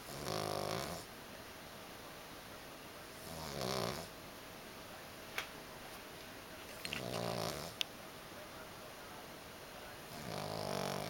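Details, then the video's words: A little pug snoring, something the owners say it does only rarely: four drawn-out, buzzy rasping snores spaced about three seconds apart, with a few faint clicks in the quiet between breaths. "So schnarcht auch schon der kleine Mops!"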